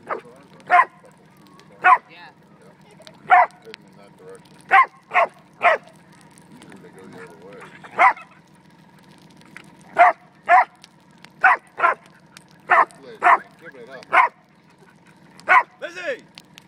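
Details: Dog barking at a fire: sharp single and paired barks, irregular, about every one to two seconds, over a steady low hum, with soft whimpering between.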